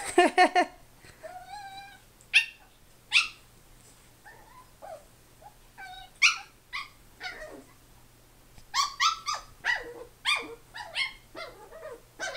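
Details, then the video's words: Grandpa, a Chi-poo puppy, going crazy: bursts of sharp, high-pitched yips and short barks, with thin whining notes between them. A rapid cluster of yelps comes near the end, over a low, steady hum. "Our Puppy chi-poo is going crazy"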